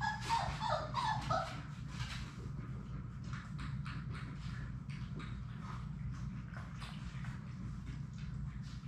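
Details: Playing Labrador Retriever puppies, six siblings in a puppy room, open with a cluster of loud high yelps and whimpers, then rapid scratching and tapping continues over a low hum.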